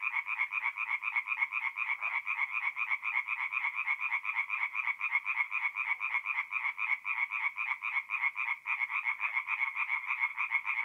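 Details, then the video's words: Night chorus of tree frogs at a forest pond in north-east Italy in mid-April: fast rattling croaks pulsing about four times a second, many voices interleaved into a continuous, throbbing wall of sound. "singing tree frogs"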